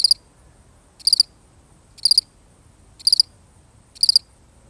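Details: Single lonely cricket chirping, five brief trilled bursts of high pulses spaced evenly about a second apart, roughly sixty chirps a minute, over a still, quiet background.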